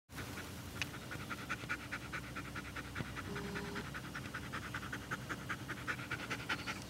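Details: German Shepherd puppy Anna Belle panting in a yard while meeting an Eastern Box Turtle that wandered in; quick, breathy, noisy pants come steadily about two to three per second over a low background hum.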